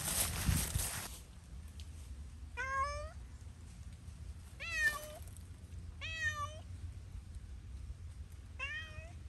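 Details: Zoey, a cat playing freely outdoors in Pushkin Park, gives four clear meows, each rising then level with bright harmonics, spaced about two seconds apart after a burst of rustling noise at the start; low outdoor hum underneath.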